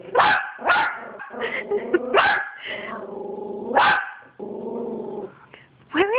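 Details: A Yorkshire Terrier that has spotted another dog gives sharp, high yapping barks with whiny growls between them, while a person eggs it on.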